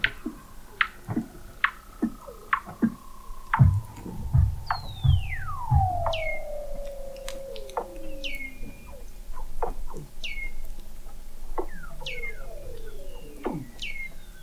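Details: Weddell seals under Antarctic sea ice, McMurdo Sound, recorded November 2017 by the McMurdo Oceanographic Observatory 21 m down: a long loud descending glide, repeated short chirps and upsweeps, and low pulsed thumps mid-clip.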